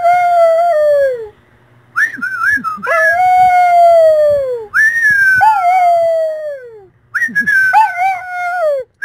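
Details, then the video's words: Dog 'singing' in long, clear howls that slide steadily downward in pitch, three drawn-out phrases each starting high and falling, separated by short pauses. "THE SINGING DOG"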